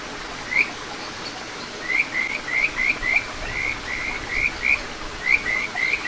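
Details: Clear rising whistles from a Kajika frog in a little satoyama brook at Ichihara, Chiba, Japan, June 2022, delivered in quick runs of about three notes a second, each note sliding upward, with gentle stream noise behind.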